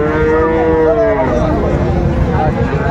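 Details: A Friesian or crossbred bull calf moos at the Raniganj cattle market, Dinajpur, on 26 December 2024: one long, even, mid-pitched lowing note lasting about a second, then fading into background voices and market noise.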